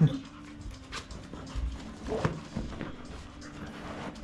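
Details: Two female Labrador Retrievers, aged six years five months and one year nine months, stretching indoors with their owner; soft, low, rhythmic panting breaths under faint background noise.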